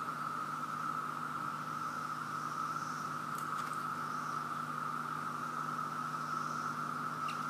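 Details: In Virginia, a chorus of cicadas is everywhere and overwhelmingly loud, blending into one steady, unbroken droning whine that holds a single pitch throughout.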